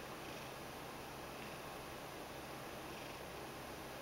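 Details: Kneading and begging, the Ragdoll Mojio keeps up a quiet continuous purr, a low unbroken murmur barely above the room's soft hiss, with no meows or other sounds.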